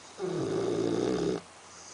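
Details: A single loud, rasping snore of just over a second from Axel, a Labrador Retriever sound asleep indoors.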